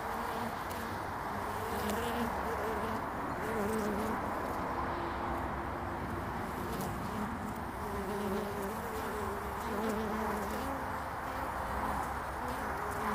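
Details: Early-spring honeybees coming and going at a hive entrance, recorded on 22 February 2019. A thick, unbroken drone of many bees with wavering tones that rise and fall as individual bees pass close.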